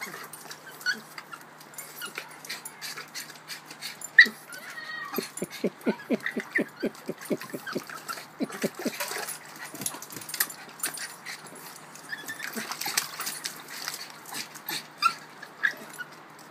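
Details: Female Boston Terrier, obsessed with her ball and upset that she cannot reach it while bobbing for it, gives a quick run of short, tonal whimpering yips mid-clip, followed by scattered splashing and clattering sounds.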